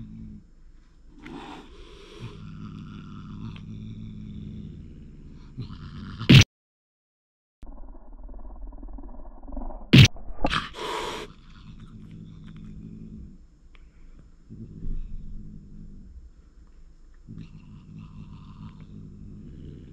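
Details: Six-year-old Russian Blue and thirteen-year-old British Shorthair cats clashing at home: deep drawn-out growls rise into wavering yowls, with two sudden loud smacks or spits and a short silent gap between growling spells.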